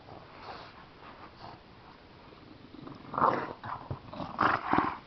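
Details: Bulldog and Chihuahua playing and rolling together indoors; short growling and yelping bursts in the second half, loudest around the third and fifth seconds, over a quiet rustling background.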